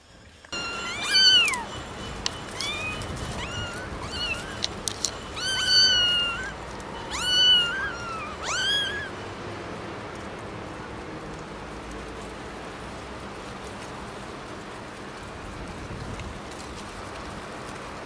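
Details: High-pitched kitten-like meows, four or five short rising-falling cries in the first eight seconds over steady background hiss, then only the hiss continues to the end.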